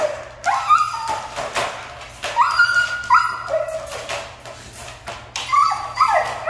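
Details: Siberian Husky described as hard to train, giving drawn-out high whining howls that waver and slide downward, several long tonal cries with short breaks between them.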